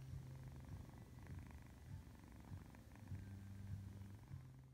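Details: A 3-month-old British Shorthair kitten purrs with a low, steady rumble that swells about once a second.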